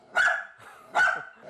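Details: Dachshund Ttube, a house dog, barking nonstop at visitors indoors; two loud, sharp high barks about three-quarters of a second apart, with a third starting at the end, and quiet gaps between.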